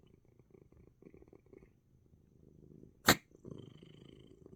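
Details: Coco the cat purring indoors, relaxed though sneezing; soft rhythmic rumbling bouts, then a sudden sharp sneeze near three seconds, after which the purr resumes louder.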